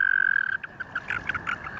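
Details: American toad (Anaxyrus americanus): steady musical trill, the normal call, breaks into jerky clucking chirps, a male's release call warning another male to get off, as if grabbed by mistake or while competing for a female.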